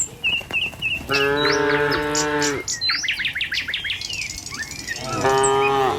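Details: A tame cow in a herd driven along a village road in the morning. One long, steady moo, then a pause with brief bird chirps, then the start of another moo.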